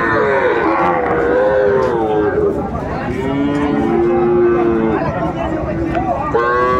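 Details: At Ambari cattle market in Dinajpur, Bangladesh, on 11 March 2024, Sahiwal bull calves give long, wavering moos that slide slowly down in pitch. A fresh call begins near the end, over a background of market chatter.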